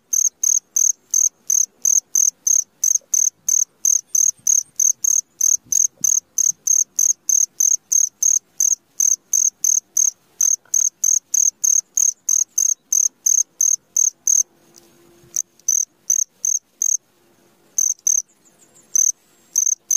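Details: Cricket chirping at midnight, a fast, very regular series of high, piercing pulses about three per second that later becomes patchy with short gaps; faint low hum in the background.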